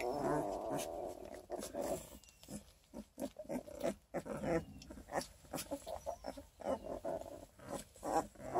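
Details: Redtick x Black & Tan Coonhound pups, twelve days old, one of a litter of eleven near Kingston, Ontario: a quavering whine opens, followed by many brief muffled squeaks, grunts and rustling movements.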